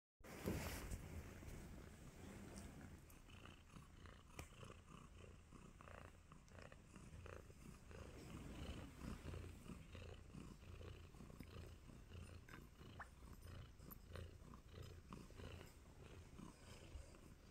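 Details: Nacho, a contented tabby kitten too happy to move, purring while giving love bites; a low, steady rumble runs throughout, broken by soft clicks and rustling handling noises.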